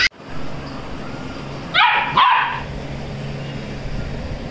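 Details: Labrador puppy giving two quick, high, sharp yips close together near the middle, each bright and harmonic, then quiet with a steady low indoor hum underneath.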